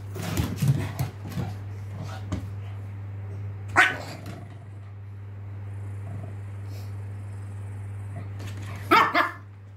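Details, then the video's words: Two Pekingese brothers, both male, playing together at home: a cluster of short rough barks and growls at the start, a sharp bark burst midway, another double bark near the end, over a steady low electrical hum. "Pekingese brothers playing"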